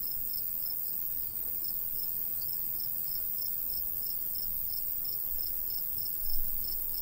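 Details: Summer cricket chorus over a golden wheat field in the countryside: steady, evenly spaced high chirps about three per second, over a low, constant rush of light breeze.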